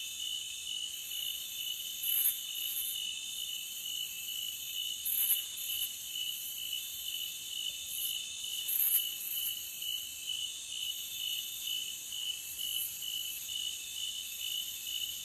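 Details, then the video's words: Steady shrill trilling from many forest crickets, layered high tones humming without pause, with occasional brief bright ticks at irregular intervals. "Cricket Sound for 5 hours Loopable"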